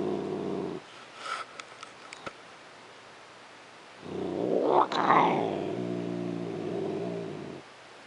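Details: A female domestic cat growls while being petted and loved on, a habit of mixing purring with growling; a low rumbling growl with harmonics opens, a quiet gap with light handling noises follows, then a louder rising growl-whine resumes.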